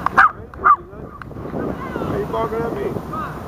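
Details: A yappy dog barks at people fishing, two sharp barks about half a second apart, demanding their chicken; people then talk, and the dog seemed annoyed at getting no food.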